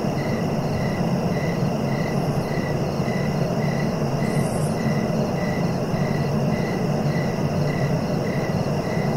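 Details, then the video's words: Cricket sound meant for relaxing and sleeping: regular short chirps about two per second, evenly spaced, with one brief shrill burst near the middle over a steady deep background hum. "Relaxing cricket sounds for sleeping"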